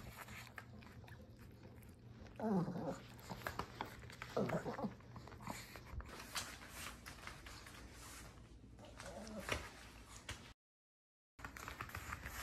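A Shih Tzu whines in high, sweeping bursts as it greets its owner coming home.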